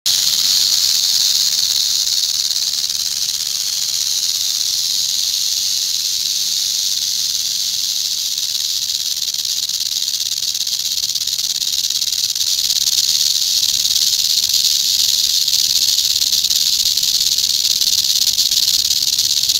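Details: Venomous eastern diamondback rattlesnake rattling its tail: a steady, loud, high-pitched buzzing hiss held without break for about twenty seconds, swelling slightly near the end, with no other sounds.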